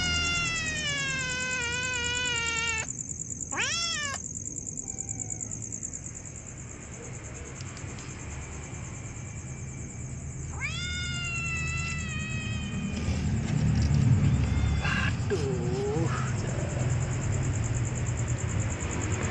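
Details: Meowing of hungry kittens: a long wavering meow, then a sharp upswept cry, a later falling meow and a short faint one, with low rumbling background noise and a constant high-pitched whine throughout.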